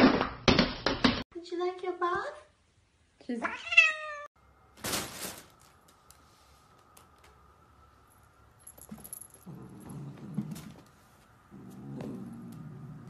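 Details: Domestic cat meowing indoors, two drawn-out meows with falling, arched tones after a burst of short sharp sounds, followed by quieter rustling and a woman's speech in a small room.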